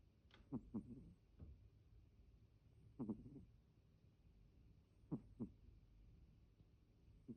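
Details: Pet cat Deni giving an out-of-the-ordinary snore: paired low, rough snorts, each double pulse returning about every two seconds in a quiet room.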